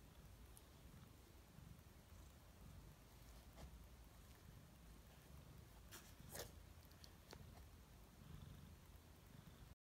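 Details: A male Siamese cat eats his food, with sharp crunching clicks over a steady low rumble.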